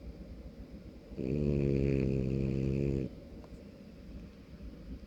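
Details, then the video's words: A sleeping 5-month-old male French Bulldog puppy gives one loud, rattling snore lasting about two seconds. "French Bulldog puppy snoring 5 months too cute loud snoring sleepy"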